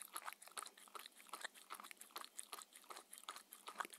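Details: Mindy, a 6-year-old Shetland Sheepdog, eats her daily raw-food dinner indoors. Crisp, uneven crunches and bites come in quick succession, with sharp clicks and brief pauses between mouthfuls. No talking, and no other sounds intrude.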